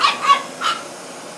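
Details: French Bulldog puppy aged 13 weeks facing a vacuum cleaner for the first time: a brief run of three quick, high yips within the first second, fading out into low hum.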